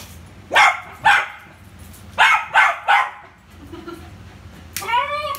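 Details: Poodle named Rio at play with a ball, giving two short sharp barks, then a pause and three more in a tight run, ending in a drawn-out whining yelp with clear tonal ridges.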